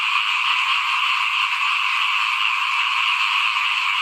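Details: Many frogs croaking outside a house during the 2021 rice sowing season, their high, shimmering calls blending into one continuous, steady chorus with no gaps.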